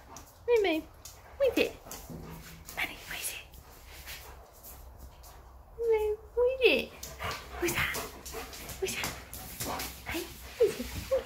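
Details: German Shepherd greeting its owner with eager whimpers and yips, squeaky rising-and-falling whines coming in clusters, with a person talking encouragingly in between.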